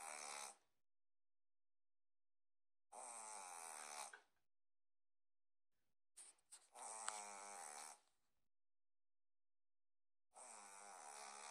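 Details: Boston terrier snoring like a human: long, raspy, rattling breaths, each over a second long, recurring every three to four seconds with quiet pauses between.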